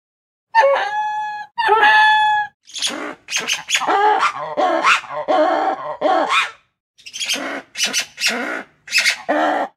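A lemur gives two clear, wailing tonal calls, then a run of harsh, raspy barking bursts.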